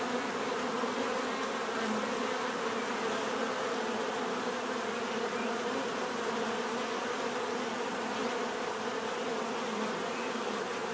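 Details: Unbroken bee buzzing throughout. A rich, even drone of many insects with stacked humming tones and a bright hissy texture, holding the same level from start to finish.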